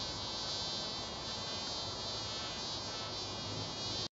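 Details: Mason bees buzzing at each other, a dense continuous buzzing with many steady harmonic tones, loud and unbroken for the whole stretch.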